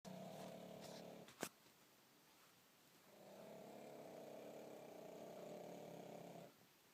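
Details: Bonya the pug, asleep indoors and snoring like a grown man. A steady buzzing snore, then a sharp click and a short lull, then a second long, droning snore of about three and a half seconds.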